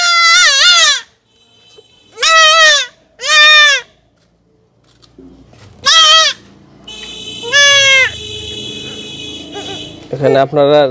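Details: Young goat being castrated, calling with strident quavering bleats in separate bursts, while a steady tonal hum and some handling noise run underneath the later calls.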